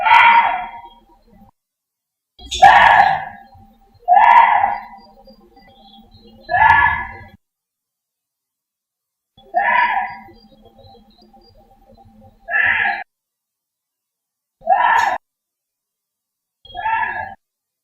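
Korean deer giving harsh, screaming calls, each under a second, repeated every couple of seconds.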